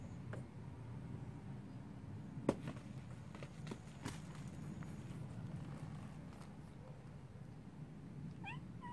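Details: A cat gives a short, rising, harmonic meow near the end, after several seconds of scattered knocks and thumps over a steady low background rumble.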